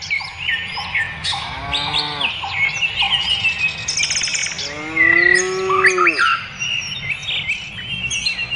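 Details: Cows on pasture giving two drawn-out lowing moos, a shorter one early and a longer, louder one later, each bending downward at the end. Busy chirping and whistling birds sing throughout.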